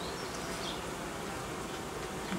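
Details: Honey bee colony that produced royal jelly and raised queen cells, being reorganised as temperatures drop and new frames are removed from its edge; a steady, dense hum fills the hive with faint higher crackles.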